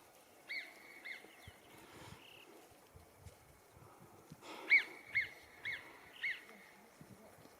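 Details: Alpine marmots (Marmota marmota) on a Hautes-Pyrénées mountain plateau near a stream, July, give sharp, high whistled cries in short bursts, one seeming to answer another.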